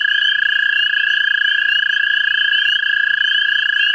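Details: American toads calling for mates in a central Ohio vernal pool: two long, steady, musical trills overlap without a break, one lower-pitched and one higher, both loud and continuous throughout.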